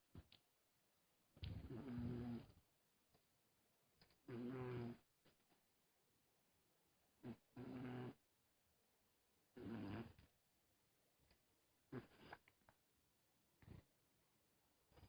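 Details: Sleeping cat snoring softly: low, rough, buzzy breaths with a faint hum, each lasting about a second and repeating every two to three seconds, with quiet pauses between them in a still indoor room.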